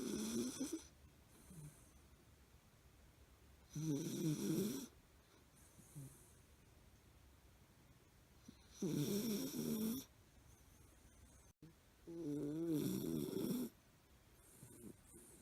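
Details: Sleeping Miniature Fox Terrier named Milo snores as usual, giving four rough, rattling inhalations of one to one and a half seconds each, spaced about four seconds apart, with near silence in between.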